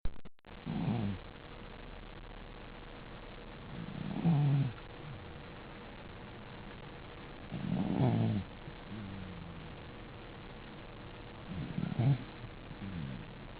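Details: Sleeping dog snoring: deep, rasping low breaths recurring about every four seconds, each a short rough rumble with quiet gaps between, and a faint steady hum in the room.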